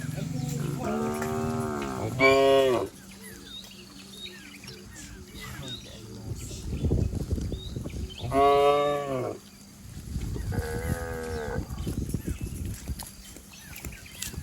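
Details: Herd of cattle and bulls leaping and running down a green village hill: several loud harmonic moos, some rising then falling, others short and strained, spaced a few seconds apart with rustling and trampling between.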